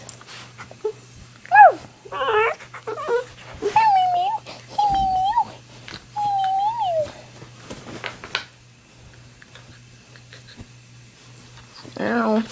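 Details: A 9-week-old pit bull puppy barking with its owner: a few yelping barks, then drawn-out wavering whines and howl-like notes, human voice mixed in, quiet gap, and a final yelp.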